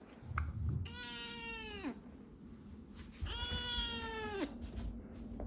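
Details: Rescued kitten named Chirol, ten days into foster care, cries often; two long drawn-out meows about a second each, steady in pitch then dropping at the end, rich in overtones, with room noise between.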